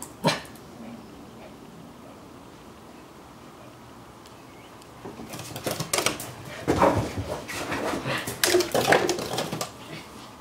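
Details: Shetland Sheepdogs Coco and Silky playing excitedly in their new garden; after a quiet opening with one faint tap, a run of sharp, irregular barks and short whiny yelps starts near the midpoint and grows louder toward the end.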